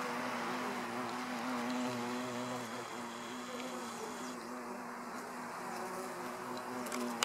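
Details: Hornet eating a bee at a beehive entrance: a steady, low, droning buzz with a strong even hum and rich overtones that holds throughout, with faint soft clicks.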